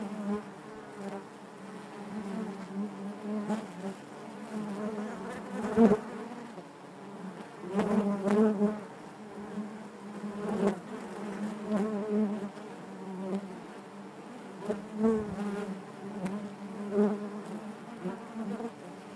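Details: Inside a honey bee hive, a constant low drone of buzzing wings rises and dips in intensity, punctuated by several short clicking knocks.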